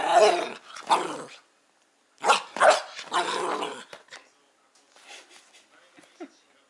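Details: Two-month-old male Golden Retriever puppy fascinated by the TV, giving a few rough, growly barks in two bursts, then quieter whines and small yelps trailing off.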